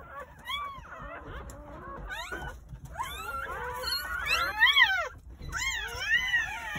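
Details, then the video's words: A chorus of freshly born Jindo dog pups, nine in the New Year's Day litter at a country house, giving loud arching squeals and quavering yelps that climb and dip, bursts growing stronger toward the end. "시골집 진돗개 9마리 출산했어요 새해 첫 우렁찬 울음소리와 함께 새생명이 탄생"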